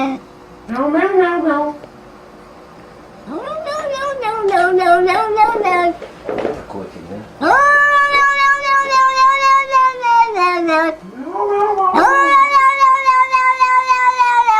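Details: Domestic cat giving a run of odd, drawn-out, wavering meow-like calls, some rising then falling, others long and held, with pauses between; a man speaks briefly in Russian.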